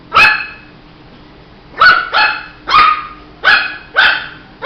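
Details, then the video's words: Young Shih Tzu puppy giving a string of short, high, ringing barks: one alone at the start, then after a pause a quick run of five, some coming in close pairs. "Som de latidos de filhote de Shih tzu"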